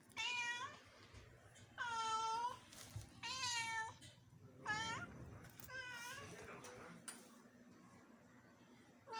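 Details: House cat from Bangalore meowing repeatedly while it tries to play with a lizard indoors, about five clear drawn-out meows roughly every one and a half seconds, with soft human speech and room noise underneath.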